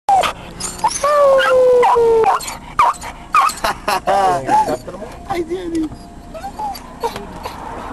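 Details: Dog howling in a car: a long, steady, slightly falling howl for about a second and a half, then broken yips, whines and wavering howl fragments, with clattering and other noises around.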